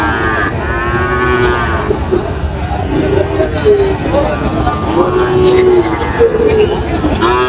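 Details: Sahiwal and Friesian bull calves at a cattle market in Munshiganj, Bangladesh, 24 July 2025, several drawn-out wavering moos in succession, some overlapping, with people talking in the background.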